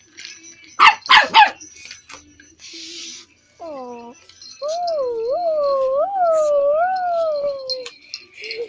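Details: Pet dog reacting to a toy snail: three quick sharp barks come first, then a long wavering whine that rises and falls in smooth loops for about three seconds, with Spanish voices talking around it.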